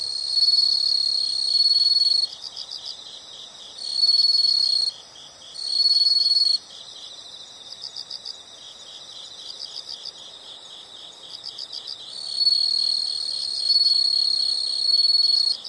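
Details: Nature sound of insects: long loud high-pitched trills switching on and off irregularly, with short pauses, over a steady bed of softer rhythmic pulsing chirps.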